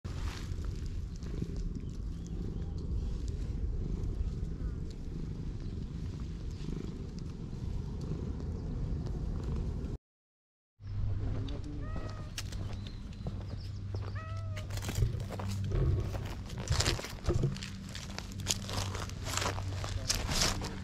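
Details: Stray cat suddenly opening up to a middle-aged man, filmed on GoPro; after a short silent gap come several brief arched meows with stacked harmonics over steady low rumbling background noise and scattered clicks.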